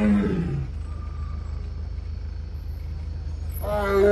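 A tiger opens with a deep roar that slides downward and fades into a low rumble. After a lull with steady background hum, a second rich, growling roar swells at the end.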